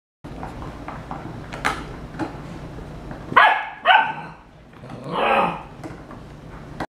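Bernese Mountain Dog puppies give two quick, sharp barks, then a longer rising-and-falling whining yelp.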